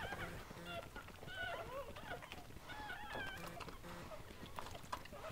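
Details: Newborn Goldendoodle puppies, part of Sandy's seven-puppy litter at a breeder's home, let out thin, squeaky wavering cries in short repeated bursts, with soft human voices and thumps beneath.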